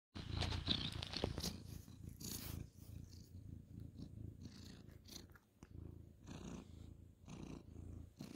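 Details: Ginger tabby cat purring while being petted on a bed at bedtime, night of 2/11/2023: low rumbling purr with rustling and broadband brushing noises from petting throughout.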